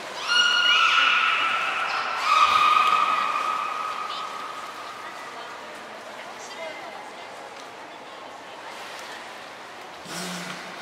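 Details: Beluga whales Nana, Mirai and Niko in training at Port of Nagoya Aquarium, January 11, 2021; a loud, harmonic, whinny-like call that slides slightly downward, repeats briefly, then fades into a quieter background with a short noise burst near the end.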